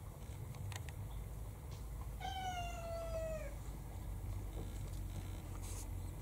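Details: Domestic cat indoors on a rainy day, from a household of six cats, gives one long, clear, drawn-out meow that slowly falls in pitch over about a second and a half, with low background rumble and a few soft knocks.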